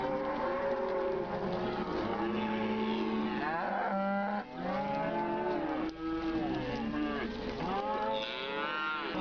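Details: Grazing cattle mooing continuously, overlapping sustained bellows of varied pitch, some flat and steady, others sweeping up and down, with two short lulls around the middle.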